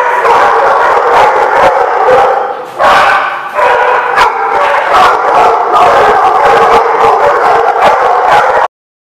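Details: A crowd of dogs recorded January 29, 2016, keeps up a steady mix of howls, yips and barks, layered wavering voices with short sharp bursts, one louder outburst near the one-third mark, ending abruptly.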